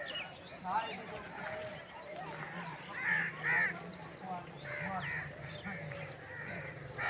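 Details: Lambs calling for their mother while foraging together; several wavering, harmonic bleats rise and fall between short pauses, clustered near the middle and end, over a steady low rumble and faint background noise.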